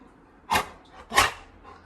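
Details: Little John, a Labrador Retriever who sleeps in the bedroom and is woken for a midnight walk, gives two short, sharp barks about half a second apart indoors, with a faint hum between them.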